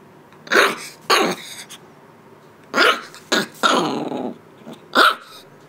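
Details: An 8-week-old Shiba Inu puppy gives sharp, high-pitched barks in irregular bursts, asserting itself as boss while its young mother stays unbothered.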